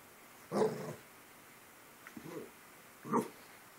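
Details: Puppy barking at his own reflection on first seeing himself in a mirror, July 25, 2012, indoors: two short, sharp barks about two and a half seconds apart, with a soft whimpering sound between them.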